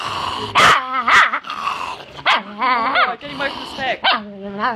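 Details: Chihuahua giving a steady trembling growl that rises and falls in pitch, with a few sharp yapping barks near the start and short grumbling bursts after.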